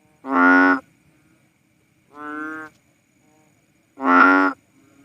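A Philippine banded bullfrog gives deep, nasal, cow-like moos, each about half a second long.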